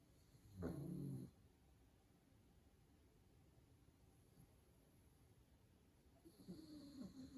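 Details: A sleeping pug snoring indoors: a short, loud, low rumbling snore near the start, then a quiet stretch, then a second rougher snore beginning about six seconds later.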